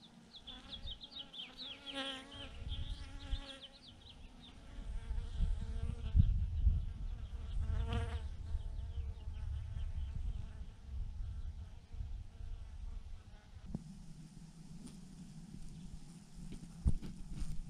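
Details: A swarm of thousands of honey bees clumped on a branch: wavering buzzing tones of bees flying near rise and fall in the first seconds and again around the eighth, over a heavy low rumble, then settle into a steadier hum.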